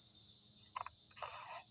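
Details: Cicadas in 2021, with perhaps 50 to 100 flying around a small tree, make a steady, high-pitched drone broken by a couple of brief nearby sounds.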